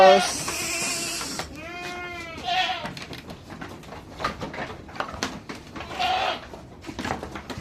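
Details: Pregnant farm goats being released into the hot sun in the Philippines; a loud harsh bleat opens, followed by a clear wavering bleat and a shorter one, while a person speaks and rustling continues.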